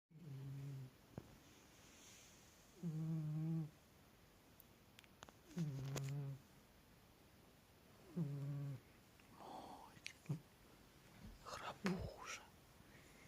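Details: Domestic cat snoring indoors: four low, harmonic snore bursts, each under a second, spaced about every two and a half to three seconds, then a person talking softly near the end.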